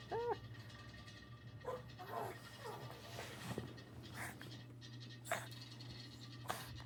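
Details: A male pug gives a short, strained, rising-and-falling bark, then softer yelps as a man talks over it; he barked with all his might and the owner wonders if it hurt him.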